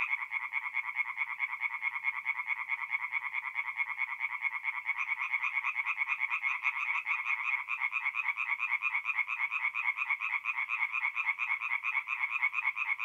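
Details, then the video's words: Night chorus of tree frogs at a forest pond, north-east Italy, mid-April; many frogs give fast pulsed croaks in unbroken overlapping series, a continuous rattling din with a few higher-pitched callers joining partway through. "relaxing forest pond by night with singing tree frogs"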